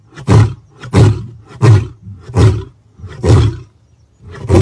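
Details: Deep, heavy lion grunts, six in a row, coming about every 0.7 seconds with slightly uneven timing, each a short booming huff low in pitch.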